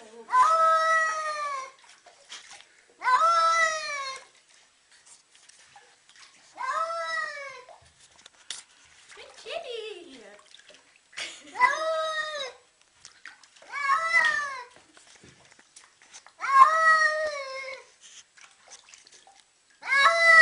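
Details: Domestic cat protesting while being given a bath indoors: about seven loud, drawn-out, wavering yowls, each near a second long, repeated every two to three seconds, with brief human speech between them.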